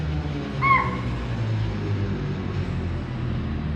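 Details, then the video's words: Spotted deer (chital) give a single sharp, high alarm shriek over a steady engine rumble from a safari vehicle in Tadoba National Park, India, during tracking of a tigress; the alarm calls suggest a predator nearby. "As we moved deeper into the wild, we heard some alarm calls of spotted deer."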